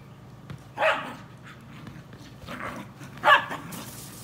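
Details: A Welsh Terrier playing with a beach ball gives two short, sharp barks about two and a half seconds apart. Soft rustling and thuds from play are heard between them.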